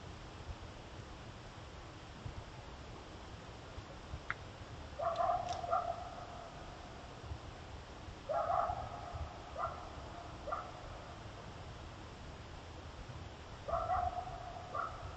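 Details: Coyotes give short, harsh barks in brief bursts over steady background hiss, recorded on a game trail camera that also caught a cougar passing.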